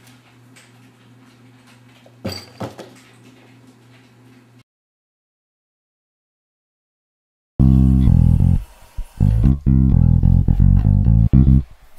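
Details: Plucked guitar and bass music with a low hum, a stretch of silence, and no animal sound.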